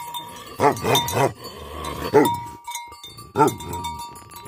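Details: Angry Tibetan Mastiff, locally called Bhote Kukur, giving loud, harsh barks in quick pairs and triplets, then a single bark and a last one after a pause. Lower bleating animals and steady bell-like ringing tones sound in the background.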